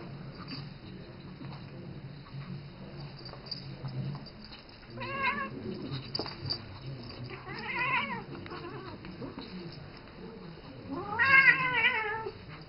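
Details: Indoors, seven-year-old Isis the cat keeps calling to Rambo, the three-month-old ferret she mothers and grooms; three wavering, arched meows spaced a few seconds apart, between faint rustling and low background noise.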